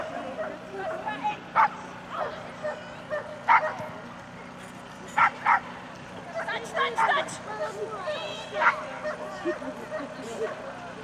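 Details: Border Collie at an agility competition, the Cherkasy Open Agility, 20th Open Championship of Ukraine, 24 September 2016; sharp, loud single barks burst out irregularly, some in quick pairs, over a loudspeaker announcement and crowd chatter.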